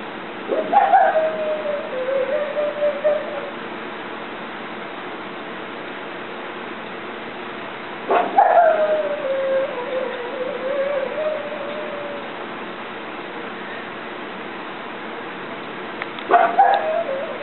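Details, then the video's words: Pug named Bogey yodeling at something outside: three drawn-out wavering howls, each starting with a sharp yelp, then sliding down and holding a wobbling tone for several seconds, repeated about every eight seconds, with a quiet room between them. "Yodeling Pug"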